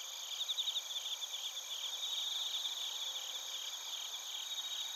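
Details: Bell crickets and crickets recorded in Narita, Chiba Prefecture, Japan, on a TASCAM Portacapture X8. Several sharp pulsed chirps stand out early, then blend into a continuous high trilling chorus over a steady insect hum.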